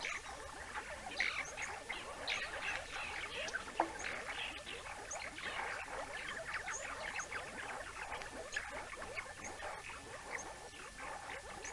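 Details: A banded mongoose family at the Naledi Cat-EYE camera in Africa, 19 May 2019, gives a steady stream of short, high chirps and twitters overlapping one another.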